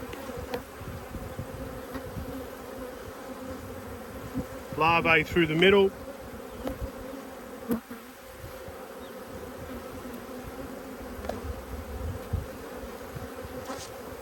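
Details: Honey bees from two hives, cross at being inspected on 5 March 2022, fill the air with a steady, low droning hum. A brief burst of human voice cuts in midway, then the even buzz carries on.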